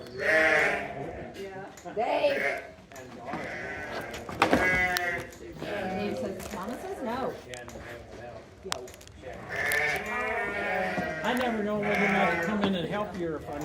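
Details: Sheep bleating during shearing, wavering harmonic bleats at the start and again near the end, mixed with people talking, a sharp knock midway and background music.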